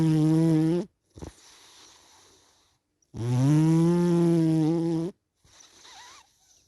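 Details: A dozing cat gives two strong, droning snores about three seconds apart, each a coarse, buzzing intake of breath trailing into a soft, whispery exhale.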